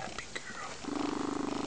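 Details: Female foster lynx-point Siamese cat purring contentedly while relaxing on a sunny windowsill on a weekend afternoon; a woman speaks softly at first, then a steady, rapidly pulsed low rumbling purr takes over for the last second.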